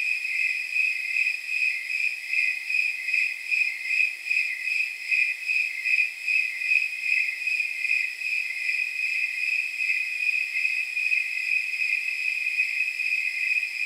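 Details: Snowy tree crickets, the so-called temperature crickets, chirping on a night estimated from their chirp rate at around 79 degrees; bright, jingle-bell-like pulses repeat steadily about two and a half times a second with a faint hiss behind.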